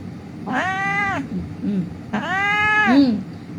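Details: During a rescue, an injured cat found lying on the street gives two loud, drawn-out, arching meows about a second apart, with soft background rumble.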